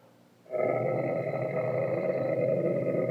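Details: Sahara dromedary camels, recorded in 2017, giving a steady, drawn-out nasal groan with strong even harmonics, starting abruptly and continuing unbroken for over two seconds.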